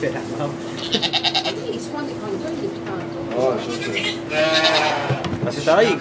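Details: Domestic goat giving birth to two kids in a sugar shack in Quebec, Canada, recorded on an iPod Touch; a loud wavering bleat rises near the end amid overlapping French chatter and laughter.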